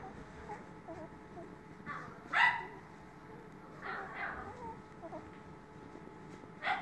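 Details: A Toy Poodle gives a few short, sharp barks spaced a second or two apart, with a final one near the end, between soft whimpering notes, over a low steady background hum.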